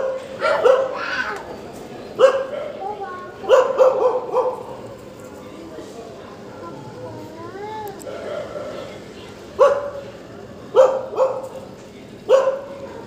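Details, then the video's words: Dogs, said to be jolly on waking, give short sharp barks in scattered bursts, sometimes doubled, with a few whiny rising-falling yelps near the middle and quiet gaps between. "Dogs sound Waking jolly"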